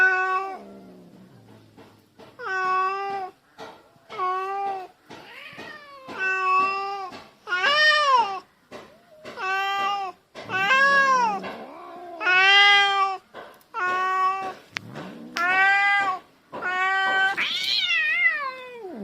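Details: Domestic cats fighting indoors, mostly an orange cat making threatening noises; long drawn, harmonic yowls with wavering pitch, repeated in a steady series of about a dozen, some rising into harsher, wailing cries.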